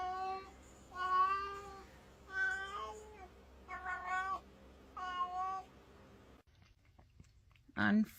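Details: Kitten giving a series of five short meows, about one every second, each a clipped, slightly falling cry; a sudden clatter at the end.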